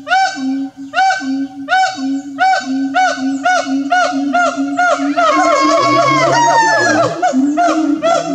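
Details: An endangered siamang in Kerinci forest, Sumatra, near Mount Kerinci, gives loud, rich hooting notes repeated in a quick rhythm, then overlapping rising and falling whoops.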